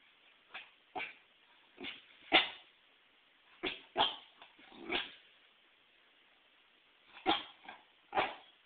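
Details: A female Pembroke Welsh Corgi barks at a volleyball she fears and hates. The volleyball was brought in for herding. The barks are sharp, short and yipping, come in irregular bursts with pauses, and the loudest falls early.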